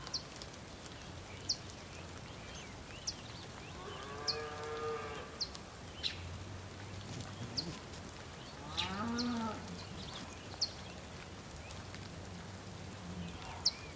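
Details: Distant bulls on the Patagonian plain, Tierra del Fuego, Argentina, during rain: two fairly soft moos about five seconds apart, the second wavering. Frequent sharp bird chirps and a low rumbling background are heard.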